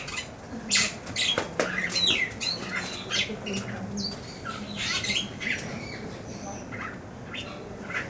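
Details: A meerkat at Blijdorp zoo in Rotterdam gives harsh, squawky chirps in quick irregular bursts, with a little background murmur.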